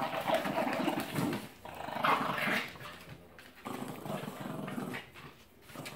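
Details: A Mastiff and a Terrier play-fighting indoors; rough, rumbling growls and snarls run in bursts with short breaks, with scuffling noise between.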